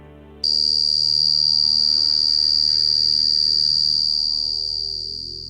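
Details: Short-tailed crickets, suggested by some as the source of the Havana Syndrome buzzing, give a steady, high, shrill trill, with soft music playing underneath.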